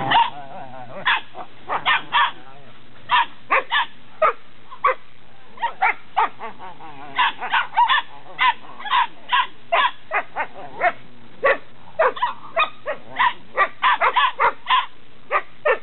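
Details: Belgian Malinois Shepherd puppies, eight weeks old, in Williston, Florida, on 27 January 2016, yapping in quick, high, repeated barks, often in twos and threes, continuing almost without pause throughout.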